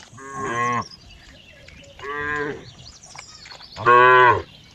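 A cow gives three deep, resonant moos, each under a second long and dipping in pitch at the end.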